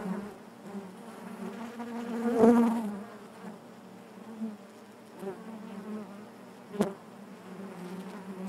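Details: Inside a honey bee hive, a continuous low droning hum fills the air, with a loud close bee buzzing past near the start and a short sharp tick later on.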